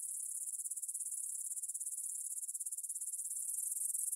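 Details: Meadow grasshoppers near Svensky monastery, Bryansk, Russia, stridulating at 9pm on 6 September 2020, captured with a Tascam DR-44WL in stereo: thin, high-pitched, regularly pulsed buzzing, a quick rhythmic ticking that swells slightly toward the end.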